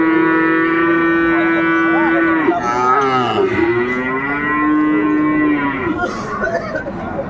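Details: At Ambari cattle market in Dinajpur, 11 March 2024, early Ramadan, a Sahiwal bull calf gives a drawn-out moo lasting about seven seconds, steady at first, then wobbling and dipping before trailing off, with faint crowd murmur.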